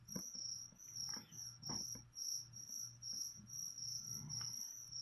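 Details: High, ringing chirps from a cricket offered as leopard gecko food repeat steadily, roughly two each second, with light tapping noises and a low background hum.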